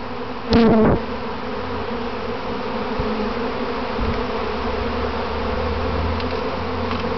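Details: Practice swarm of a keeper's honey bees settling on their box; an individual bee zips loudly past close by at the start with a sliding pitch, then the massed swarm hums steadily on.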